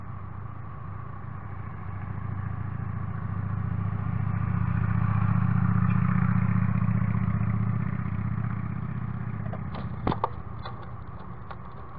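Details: Low rumbling traffic noise swells and fades, with a brief clatter near the end; no animal voice is heard.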